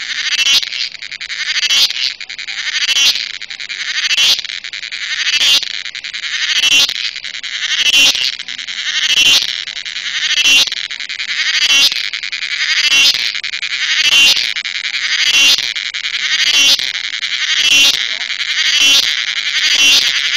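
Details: Cricket, locally called cheveed, calling in a loud, shrill series of buzzy pulses that swell and fade, repeated steadily about once every second for the whole stretch, with no other sounds.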